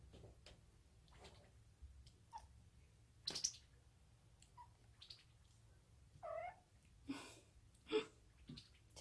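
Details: Five-month-old female short-legged Munchkin kitten, odd-eyed, chattering indoors as a toy is brought out, a habit picked up from housemate cats; scattered short chirpy bursts and a few brief meow-like wavering notes over a low room hum.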